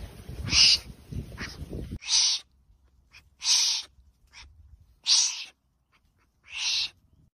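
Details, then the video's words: Wombat making repeated rasping, breathy huffs, each about half a second long and coming roughly every one and a half seconds, with some low rumbling noise at the start. "Wombat Sound"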